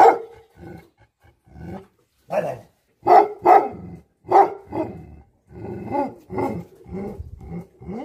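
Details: Tibetan Mastiffs (Bhote Kukur) barking angrily: single loud, deep barks separated by short pauses, then a denser run of lower, rougher barks toward the end.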